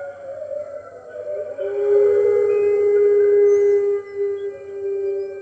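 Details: Captive red wolves howling along with the other wolves at the NY Wolf Conservation Center on the morning of 15 March 2013, webcam recording: a long, steady, mournful tone swelling and holding for several seconds, fainter howls beneath, low background hum.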